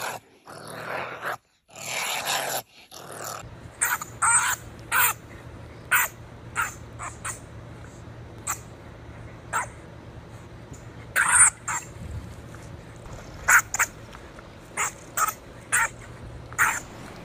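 A honey badger gives harsh, raspy growls and snarls in short, irregular bursts.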